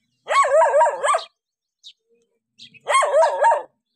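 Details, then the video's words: Dog barking on seeing a stranger, two bursts of rapid, harsh barks about a second long each, separated by a quiet gap with a few faint clicks. "How Dogs React When Seeing Stranger 11 - Running, Barking?"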